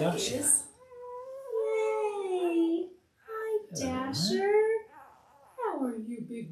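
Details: Five-day-old Labrador Retriever puppies from a litter of eight (five males, three females) born October 15, 2023 to their mother Belle, indoors on a live puppy cam; drawn-out, high, nasal whining cries that slide downward, in three bouts with short pauses.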